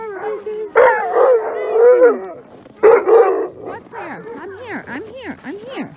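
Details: Alaskan Malamute sled dogs before a run in Larose Forest, Ontario, Canada, at -30 degrees C: two loud bursts of massed barking and howling, then rising-and-falling arched howls from several dogs.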